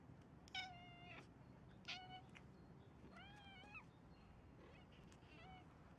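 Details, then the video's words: A white cat on a bench gives four short meows, harmonic and slightly rising then falling, spaced roughly a second apart, over a faint steady background hum. "White cat meows very cute on the bench"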